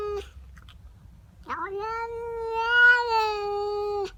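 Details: Domestic cat yowling at a neighbour cat trespassing in its garden, heard in the morning: a brief cry, then a loud, rich, steady drawn-out wail lasting over two seconds, swelling in the middle before cutting off.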